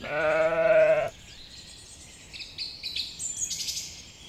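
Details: Sheep grazing leisurely on a spring meadow gives one loud, steady bleat of about a second, rich and harmonic with a slight waver. Small birds chirp and twitter afterward against soft outdoor background noise.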